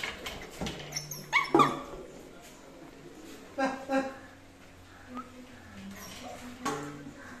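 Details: Labrador Retriever puppies giving short, high yelping whimpers in brief bursts near the start, around the middle and again near the end, separated by quieter stretches with a low steady hum and faint background noise.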